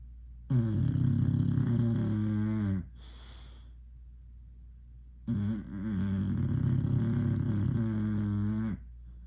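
An English Bulldog snores in two long, deep, rattling breaths separated by a quiet pause.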